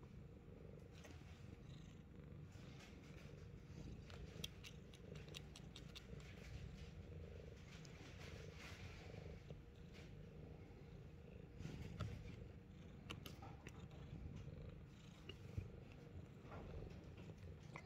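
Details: Fat Boy, a Himalayan Persian cat, purring indoors: a steady low rumble runs unbroken through the whole stretch, with a few faint clicks and soft rustles on top.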